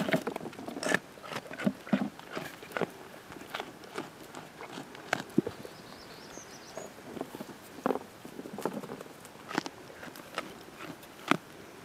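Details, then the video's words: Young goat Panpan biting and chewing green plum, giving sharp scattered crunches and wet clicks at an uneven pace, several loud bites standing out against a calm outdoor backdrop. "goat eats green plum 山羊寶寶潘潘吃青李"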